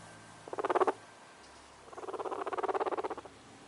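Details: Guinea pig purring, a sign of contentment or relaxation: two bursts of rapid rhythmic pulsing, a short one of about half a second, then a longer one of about a second and a half, in a quiet setting.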